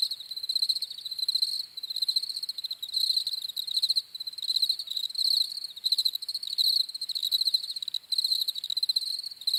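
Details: Crickets repeating trilled, high-pitched chirp bursts roughly eighty times a minute, rhythm somewhat uneven as several insects overlap, nothing else audible.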